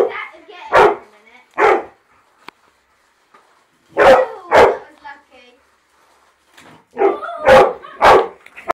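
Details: A dog attacks a car and knocks it off its track, letting out sharp, explosive barks in pairs and clusters separated by quiet gaps, mixed with people's voices between bursts.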